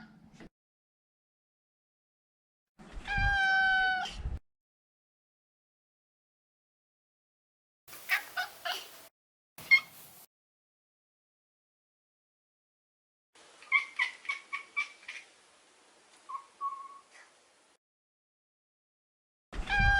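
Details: A neutered male Maine Coon named Maro gives a loud sustained meow, then short broken chirps and a series of quick stuttering mews, with pauses of silence between bursts.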